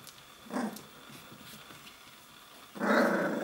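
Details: Three-week-old puppies practising play indoors, growling and barking; a short rough growl, then a louder, harsher growling bark at the end.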